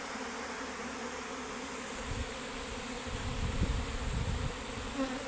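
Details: Steady hum of many worker honey bees abandoning their hive, a continuous droning buzz that swells slightly in the second half, with low rumbling thumps, possibly wind or handling, underneath.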